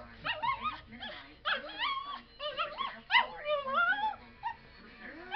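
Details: A pet dog, upset by a breeze on his face, gives a run of short, choppy whimpers and yips, each sliding upward, with pitch bending and squeaking between brief pauses.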